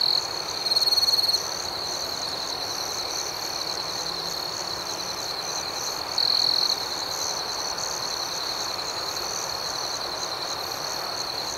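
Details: Crickets at night in an outdoor setting: a steady, high, even trill holds a constant pitch. A faster pulsing layer sits above it, and two louder, brighter bursts of chirping come near the start and after six seconds.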